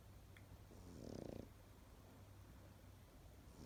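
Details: A single short, buzzing snore from a Pekingese dog while sleeping, followed by quiet with only a low steady hum.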